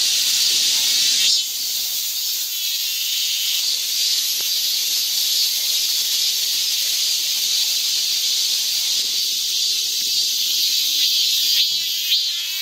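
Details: Cicadas in midsummer heat at a park in Guro-gu, Seoul, produce an unbroken, bright, hissing buzz high in pitch that fills the whole recording, steady and even throughout.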